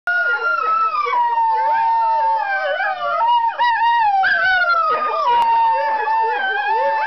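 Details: Four pet greyhounds howling together at a harmonica, a continuous chorus of overlapping wavering howls that slide downward and rise again, with a steady low harmonica tone beneath throughout.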